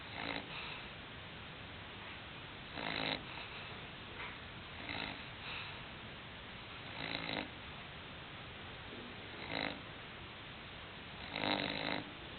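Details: Sleeping English Bulldog Hulk snores in uneven bursts, loud rasping inhalations every two to four seconds, some doubled, with quieter wheezy breaths between against a constant hiss.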